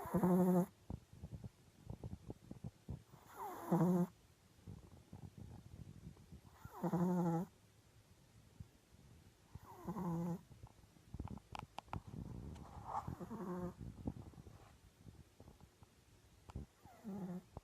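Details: Female Japanese Chin × Maltese mix dog snoring in her sleep. Rough, humming snores come roughly every three seconds, then turn softer and more rasping, mixed with faint rustling and snuffling breaths.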